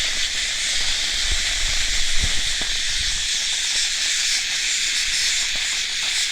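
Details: Cicada droning in a dense, steady high-pitched hiss without pauses, over a few soft low bumps near the middle.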